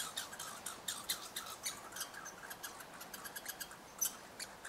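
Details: Red squirrels of eastern Canada interacting up at a bird hide: a rapid, uneven run of sharp, dry clicking pulses forming a chattering burst that carries on for about five seconds, with no other clear sounds.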